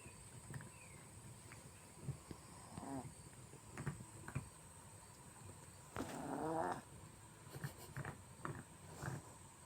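A sleeping Chihuahua snores softly in short, rough breaths with a faint nasal whine.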